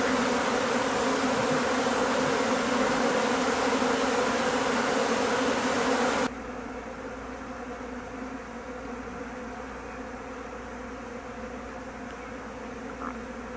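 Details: Japanese honey bees swarming from an overwintered home colony and being taken into a hive; a thick steady hum for six seconds, then a sudden drop to a quieter, thinner drone with low rumble.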